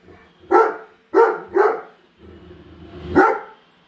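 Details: One female Great Dane objecting to a new Roomba robot vacuum at home; three quick gruff barks, a short pause with low mechanical whirring, then one more bark.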